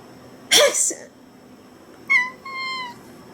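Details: Domestic cat meowing in response to hearing a sneeze, recorded 1 September 2019: a loud burst of human sneezing first, then about a second later a clear two-part meow, a short rising note followed by a longer level one.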